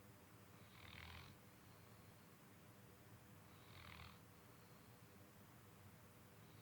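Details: Beau, a sleeping dog, snoring: two breathy, rasping snores about three seconds apart over a steady low hum.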